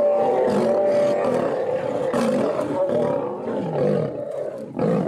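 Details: Lion fight as a female bites and attacks a male: loud, sustained, grating snarls and roars that surge and waver, dip briefly near the end, then flare up again.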